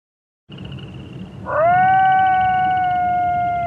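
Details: Wolf howl rising sharply after a short murmur of low background noise, then holding a steady, clear, drawn-out tone that fades only slightly toward the end.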